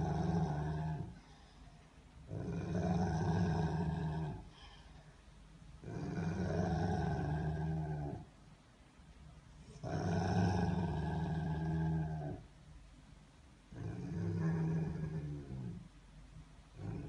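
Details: A Rottweiler gives deep, rumbling growls in long drawn-out bouts, one every few seconds.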